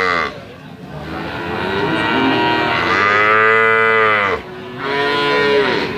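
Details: Limousin calves being sold call with a rising, strained moo that builds over several seconds into a loud harmonic bellow, cut off abruptly, followed by another bawl starting at the end.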